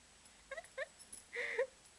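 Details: Five-month-old Cocker Spaniel puppy, excited while playing with its owner indoors; three short, high, tonal whimpers in quick succession, the last one longer and slightly rising, with quiet room background between them.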